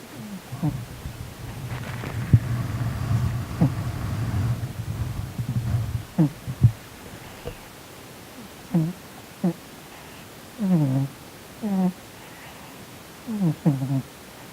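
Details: Asleep and twitching through what seems a bad dream, Sonny the Korean shorthair cat gives deep, grunting snores; a low rumbling stretch opens, then breathy snorts repeat in pairs and clusters every second or two.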